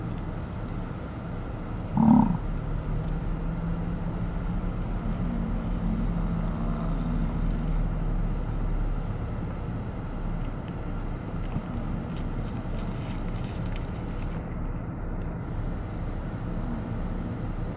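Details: Rutting bison in Hayden Valley, Yellowstone: a sudden loud burst, then a long, low, drawn-out rumbling bellow holding steady for several seconds before fading, over a constant hum of vehicle engine noise.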